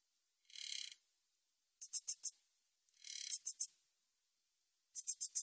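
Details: High, dry stridulation from a Min's bush cricket, 2020 recording from Korea's National Institute of Biological Resources: a rapid buzzing burst followed by three or four crisp clicking chirps, the pattern repeating, with near silence between phrases.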